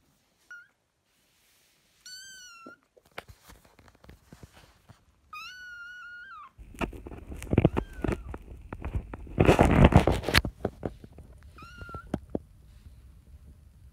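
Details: Kitten sisters fostered in spring 2017 make clear, high, drawn-out meows, several flat then dipping at the end, separated by pauses, with loud scratching and rustling in the middle.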